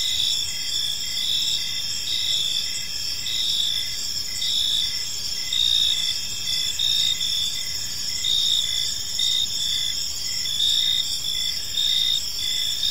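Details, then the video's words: Chorus of crickets in a peaceful park at evening, overlapping shrill trills held steady throughout, with short pulsed chirps repeating at an even pace and slight swells in volume. "Cricket Sounds in a Peaceful Park"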